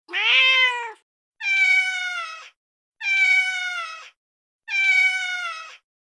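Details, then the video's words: Domestic cat in an angry tone used against mice and rats: four loud, bright, sustained meows about one second each, the first one more strained, spaced about one and a half seconds apart, with no other sounds. "Cat Sound || Cat Sounds To Scare Mice || Sound Rats Hate || Angry Cat Voice"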